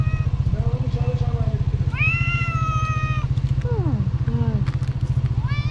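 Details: Loud meowing from a hungry black-nosed tuxedo cat begging for food. One sustained meow lasts over a second, followed by short falling sounds. Continuous low rhythmic engine-like rumble in the background.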